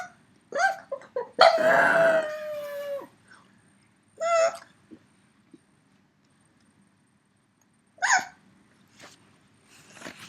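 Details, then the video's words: Yoda, a three-year-old pug missing his companion dog, produces short yips and a drawn-out howling whine that slides down, followed by spaced single whines separated by silence, all indoors. "Funny Pug Noises"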